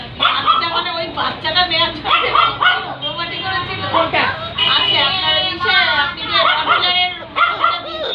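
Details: Labrador Retriever puppies, black and chocolate, offered in Barrackpore, West Bengal, give a busy run of high, arching yelps and whimpers, many overlapping and rising then falling, with people talking nearby.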